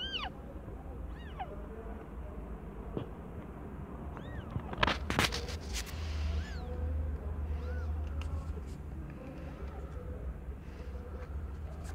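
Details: Aimee, a young cat not yet one year old, giving birth to five differently coloured kittens; short, high, arching mews come in quick succession early on and again after a pause, with a sharp rustling clatter midway and a steady low hum.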